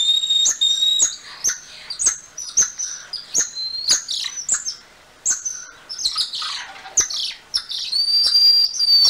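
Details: Golden lion tamarin (Leontopithecus rosalia) calling: high, sustained whistled tones, some level and some gently rising, overlap and interweave with sharp chirps and dry clicking notes throughout, giving a busy, birdlike chorus with short pauses between bursts.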